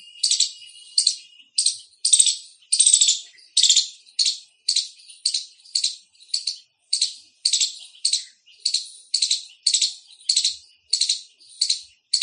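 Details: Repeated loud chirp calls of an Indian squirrel, a steady chain of scratchy high-pitched notes about twice a second, sometimes paired, with a quiet background.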